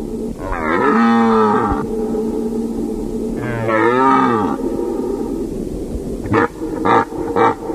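A deer gives two drawn-out, nasal, moaning calls, each lasting about a second.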